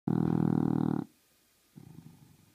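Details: English Bulldog snoring loudly during a nap, a harsh rumbling snore lasting about a second, then a quieter, softer breath after a pause.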